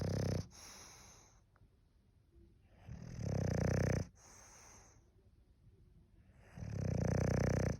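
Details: Sleeping English bulldog gives three heavy, rattling snores spaced roughly three seconds apart, each a low buzzing rumble with a wheezy hiss, quiet pauses between.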